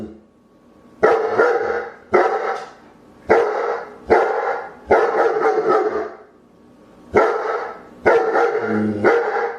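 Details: Dog barking repeatedly, loud rough barks arriving about once every second with fading tails, some doubled, in a quiet setting without other clear sounds.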